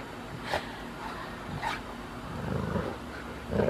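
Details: Leonberger dog playing tug-of-war on a lawn while being dragged a short distance. Low, rough growling rumbles rise and fall under short scuffing bursts, with a louder grumble building near the end.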